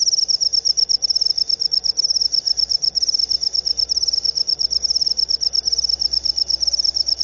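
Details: High, piercing pulsed chirps of a jangkrik upo cricket, bursts running on in a steady stream with small irregular gaps and a faint low rumble underneath.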